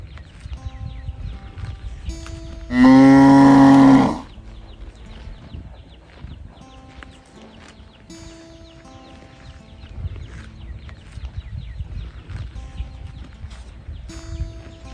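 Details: A calf calls for its mother with one loud, drawn-out moo lasting just over a second. Long quiet stretches follow, with faint steady tonal hums in the background.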